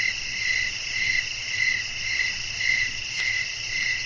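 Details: Crickets singing in a nighttime setting with breeze, a soothing sleep soundscape; bursts of high pulsed chirps repeat roughly every half second over a constant shrill insect hum and gentle wind-like noise.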